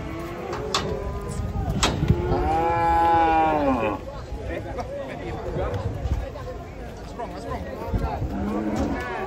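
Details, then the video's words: Angry, unruly cattle coming down off a truck, three cows: a long harmonic moo rises and falls over two seconds, with a shorter low moo near the end, amid clatter, crowd voices and outdoor commotion. "3 SAPI NGAMUK DAN LUCU TURUN DARI TRUK TAK TERKENDALI"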